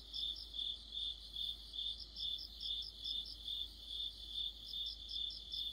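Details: Crickets and friends in an autumn chorus: a regular, high, throbbing trill pulsing around two and a half times per second, with a fainter, faster chirping layer above and little else audible.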